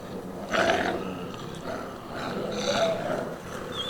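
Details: Wolves from the exhibit and retired packs at a wolf education centre, recorded 23 March 2018: two rough, growling vocal bursts about two seconds apart, each with a harsh, noisy texture over a steady background.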